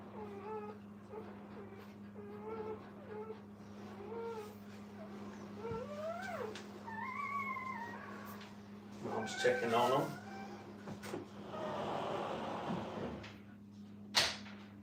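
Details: Brittany puppies with their mom give a run of short whimpers, then sharper rising yelps, before human voices, rustling and a sudden knock take over; a low steady hum runs throughout.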